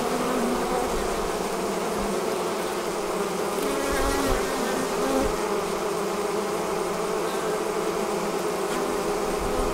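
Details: Many honey bees pouring out of a hive to form a swarm make an even, unbroken hum, mid-pitched and dense, holding steady throughout.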